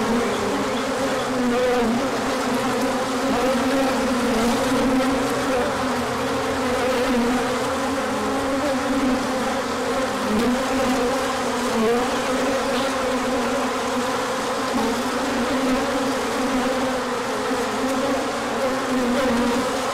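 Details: A big spring orientation flight of hive bees, dated 24 March 2024, as sunshine follows a colder spell. Sustained dense buzzing of many wings with a steady drone and occasional rising or falling passes of single bees.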